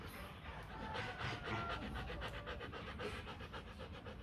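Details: Kute Gervi, a young female Rottweiler aged 15 months, pants fast, close to four breaths a second, with faint human voices and low rumble in the background.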